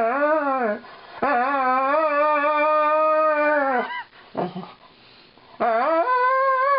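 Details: Long mournful howl from Lightning, a female Alaskan Malamute singing a song of woe as her owners brush her; steady sustained notes with rich harmonics, a brief broken yelp in the middle, then another rising howl.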